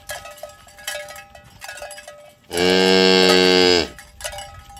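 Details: A herd of tame cows walking to the pen in the morning on village roads; one powerful, rich, sustained moo of about one and a half seconds, between scattered tinkling cowbells.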